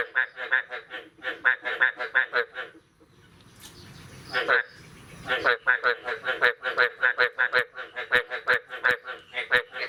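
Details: Frogs croaking on a morning after the year's first rain, 9 May 2022: runs of nasal, honking croaks in quick bursts, broken mid-way by a few seconds of soft hiss before the calling resumes, with sharp clicks scattered throughout.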